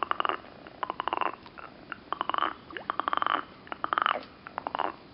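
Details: Green frogs near Turku, Finland, croak in rapid, rattling bursts of clicks, repeated about every second.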